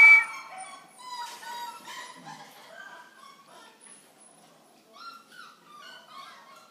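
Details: Corgi giving high, harmonic whining cries, loudest at the start, then a run of thinner drawn-out whimpers that fade and return as short rising squeaks near the end; no other clear sounds.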